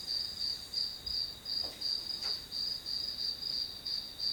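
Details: Grass insect calls used as study white noise, a bright high-pitched chirping repeated roughly three times per second in even pulses, with a brief soft knock partway through.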